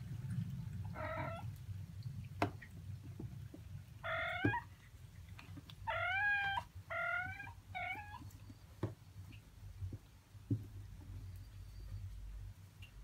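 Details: A 31-day-old Norwegian Forest Cat kitten at its first shampoo gives five clear meows in quick succession, each harmonic and rising then falling. Soft clicks and low hum fill the gaps.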